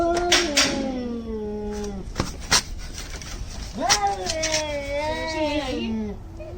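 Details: Angry cats in a fight, giving two drawn-out descending yowls separated by sharp knocks, the second wavering before it falls.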